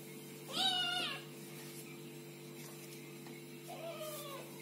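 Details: Kittens meowing: one short bright mew early, then a long quiet gap and a soft, lower, fainter mew near the end, over a constant low hum.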